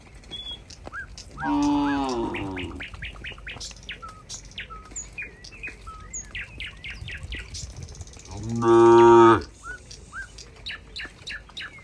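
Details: Cows in a countryside barn, among a herd a cowherd approaches: two deep, drawn-out moos about seven seconds apart, with small birds chirping and twittering throughout.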